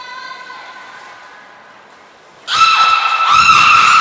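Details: Belugas Hodoi, Taanya and Mirai during a training session at Port of Nagoya Public Aquarium on 1 November 2020: a steady harmonic tone, then a loud, bright whistled call with a held upper pitch and slight wavering.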